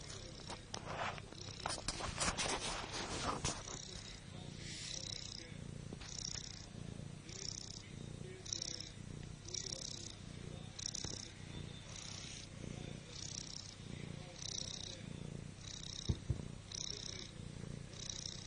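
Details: Liza, a pet cat, snoring while lying on her back; soft rhythmic breathy snores with a hissing edge recur about once per second, with some rustling handling noise at the start.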